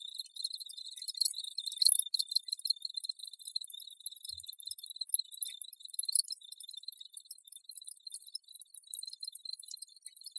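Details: Sharp, piercing cricket calls form a continuous wall of rapid chirps over a steady high hum, loudest near the start and evenly dense afterward.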